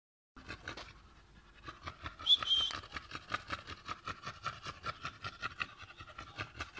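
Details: Chongqing Dog, a rare landrace breed from Sichuan, China, bred in a kennel, panting in quick, regular breathy pulses; a brief higher squeak or whine rises near the start.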